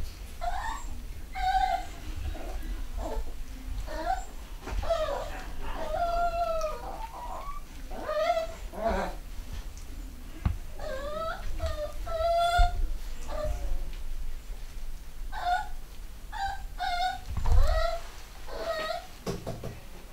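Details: Young 3/4 Schnauzer puppies from a home-bred UK litter of boys and girls whimper almost continuously: high, squeaky, rising-and-falling whines and short yelps, several overlapping, with occasional thumps and low room noise beneath.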